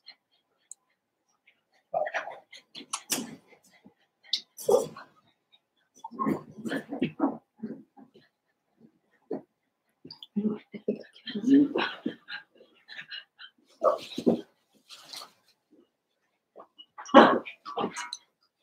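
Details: Blenheim Cavalier King Charles Spaniel puppies, a litter of five about seven weeks old, in an indoor home puppy pen; short yips and whiny squeals come in irregular bursts with brief quiet gaps, some sharp and high, others lower and mewling.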